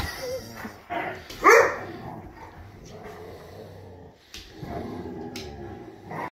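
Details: Playing Siberian Huskies roughhousing, a young one ramming another into a wall; a single loud, harsh bark bursts out early, followed by softer grumbles and the thumps and scrapes of play.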